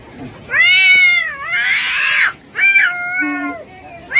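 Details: Kitten meowing twice: a drawn-out, wavering cry with a rising-then-falling pitch and a raspy middle, followed after a short pause by a second shorter meow; faint background noise between calls.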